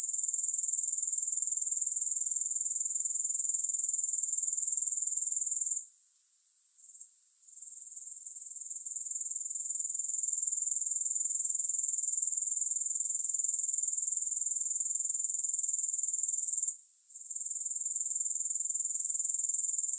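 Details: Steady high-pitched buzzing trill of grasshoppers with rapid, even pulses, briefly dropping out near six seconds and again near seventeen seconds before resuming at full strength; nothing else audible.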